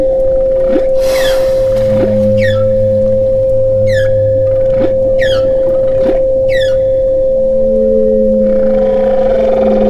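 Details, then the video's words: Whale vocalizations with sharp rising chirps and swooping whistles repeated roughly every second or two, low droning moans underneath, and a long flat moan near the end, layered over a steady pure tone. "whale sounds"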